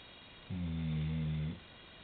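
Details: Maddy, a 90-pound female chocolate Labrador Retriever, snoring asleep at the end of a bed, heard from a pillow nearby: one low, droning, harmonic snore lasting about a second in a quiet room.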